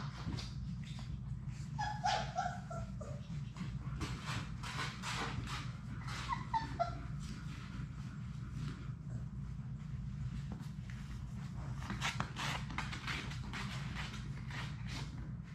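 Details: Sadie's six Labrador Retriever puppies at play in their puppy room, heard as a few thin descending whines early on and again midway, amid constant clicking claws, scratching and a low droning background hum.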